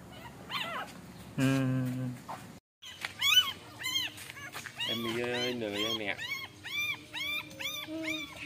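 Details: Golden retriever puppies as their mother Emi carries them by mouth to a new place: rapid high, arching whimpers and squeals, many overlapping in quick succession, with a short human voice and some background murmur.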